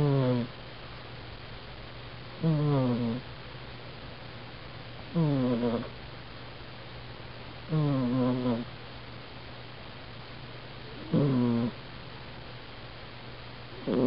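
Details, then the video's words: Domestic cat snoring while asleep, captured with a budget Canon A480 point-and-shoot: five short, sharply descending snorts spaced about every two to three seconds, each with stacked harmonics, over a constant low electrical hum. "Cath Snores"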